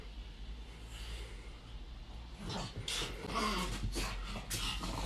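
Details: Pug named Rupert Eli attacking a balloon: near silence at first, then from about midway a burst of snorting, huffing breaths and short rough grunts, mixed with squeaky rubbing and scratchy clicks.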